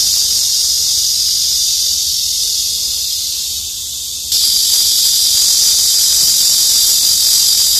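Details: In summertime, a cicada hidden among leafy tree branches gives a continuous high, shrill buzzing drone that briefly eases off, then resumes.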